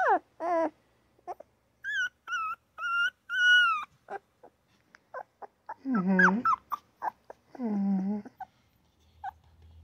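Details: Newborn puppy crying and yapping: sharp descending yips, then longer wavering whines and cries with bright harmonics, several in quick bursts, loudest near the end, with quiet pauses between.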